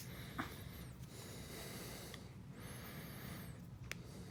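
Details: Pig-like snorting from a cat during a trim, two drawn-out hoarse breathy bursts with faint high squeaks, a couple of sharp clicks, and a constant low background hum in a small room.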